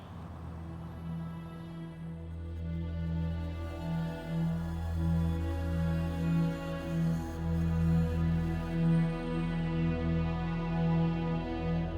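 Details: Steady ambient instrumental music with low sustained tones and a pulsing rhythm; no animal sounds are heard.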